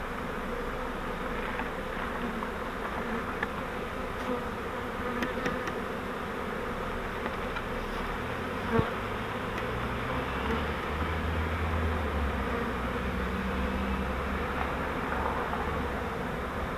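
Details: Honeybee swarm caught in a custom flowerpot fiber swarm trap used as a bait hive, being moved into a Langstroth hive: a steady, dense, low humming drone throughout, broken by one sharp click about halfway through.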